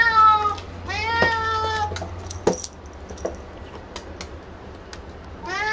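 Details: Female cat Picchi chattering while wanting her hair ball made from brushing; two quick harmonic meows close together, then clattering play sounds and the start of another meow at the end.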